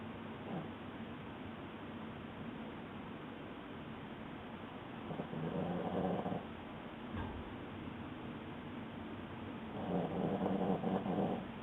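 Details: Sleeping Boston Terrier snoring: low, rough, breathy rasps in slow swells, with louder snores near the start, around six seconds and near the end, over a steady low hum.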